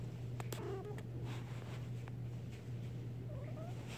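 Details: Domestic tabby cat, a rescued former stray, snuggling and rubbing against its owner lying on the floor indoors: soft, brief chirping meows near the start and end over a steady low electrical hum.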